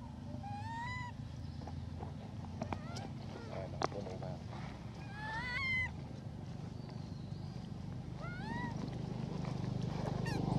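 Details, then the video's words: Female hybrid monkey named Elpida asking for food: several bright, arching whistled coos at intervals, one near the start, a cluster midway and another late, above constant low hum and occasional knocks. "Elpida Requests Foods By Her Beautiful Sound"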